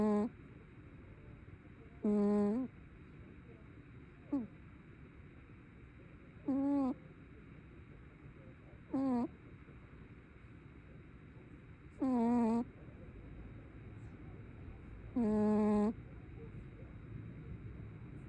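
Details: Sleeping brown tabby cat snoring: short, squeaky, tonal breaths with wavering pitch, sounding every two to three seconds and separated by quiet, over a soft background hiss.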